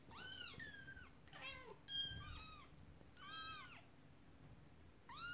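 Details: Indoor scene of kittens playing with a toy horse-drawn carriage and an upset mother cat; loud, high, down-curving mews in quick succession, one lower wavering meow among them, with gaps of quiet between calls.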